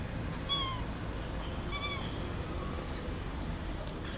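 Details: Friendly stray street cats: two clear, short, tonal meows about a second apart, the second slightly longer and wavering, followed by a fainter third mew, against constant low outdoor rumble.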